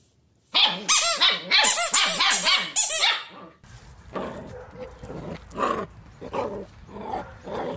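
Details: Puppy giving a rapid run of high, tonal yips, about three per second, each rising then falling, for three seconds. A rougher, noisier stretch with scattered fainter barks follows.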